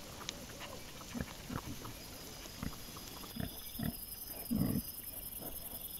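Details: Series of brief, low grunts from wild boar piglets, spaced irregularly about every half second to one second, the last one louder and longer; trail camera recording from 27 September 2024 with faint high insect buzzing behind.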